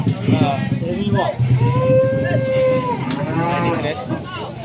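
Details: Giant Pegon bull cattle enraged so that no one dares approach, giving a drawn-out tonal moo lasting over a second, steady then falling, with rich harmonics, amid murmuring voices and background noise.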